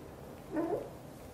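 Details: Xaxa, a blue golden British Shorthair mother cat, talking nonstop while grooming her tiny kitten Piano; one soft, brief chirping meow that rises and falls, under a second long, over a low steady background hum.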